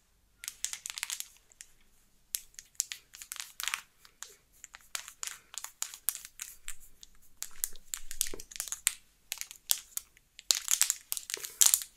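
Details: Close, crisp tapping and crinkling bursts in a small quiet room, sharp and bright, coming in irregular clusters with silent gaps; no cat voice or purring is heard.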